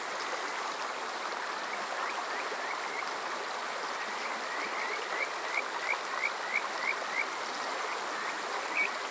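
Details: Kajika frog calling on a summer night at Water Park Shirayama in Yokoze, Chichibu District, Saitama, Japan, recorded with a TASCAM DR-05X: short rising chirped notes repeated in quick runs over a steady rushing stream.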